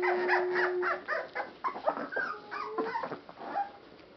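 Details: Litter of rescued Boston Terrier and Pit Bull mix puppies whimpering together: a thin steady whine, then a dense jumble of overlapping squeaky yelps and wavering cries that gradually thin out and fade.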